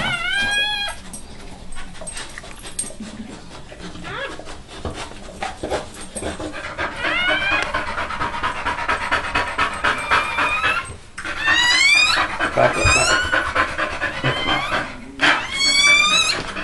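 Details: Newborn American Pit Bull Terrier puppy, Nina's first-born, minutes after birth and before nine littermates arrived: thin, high squealing whimpers with rising, bending tones in short bursts, between quieter stretches of Spanish-speaking voices and rustling.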